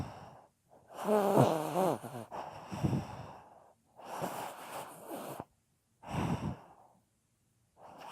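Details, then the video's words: A dog in deep sleep, 2018, snoring: a wheezy inhalation with a fluttering, vibrating edge, followed by softer breathy snorts and clear silent gaps between the breaths. "Собака храпит / Snoring dog"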